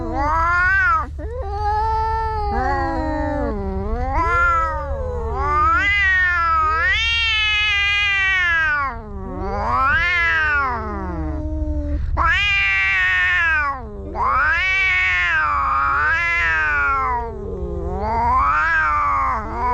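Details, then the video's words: Fighting pair of cats trading loud, sweeping howls that swoop up and down repeatedly, some rising into shrill wails, with brief silent gaps between outbursts. "Two Cats Fighting"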